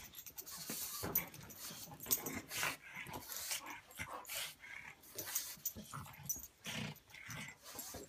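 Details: Buster, a pug, and Patton, an English mastiff, wrestle in play: heavy panting and snorting alternate with gruff growls in a rapid, rough rhythm, with thuds and rustling close by.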